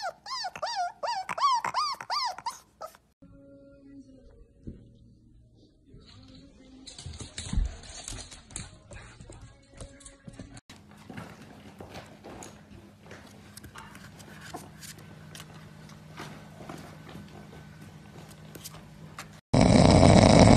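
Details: Husky named Key, a pet indoors, giving a wavering, yodel-like howl that rises and falls in pitch for about two seconds, followed by quiet room noise, rustling and faint music, ending in a sudden loud burst.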